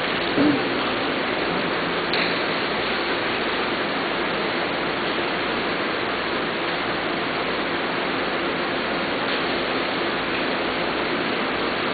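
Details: Dense, even rushing noise like running water throughout, with a couple of faint knocks and no animal voices.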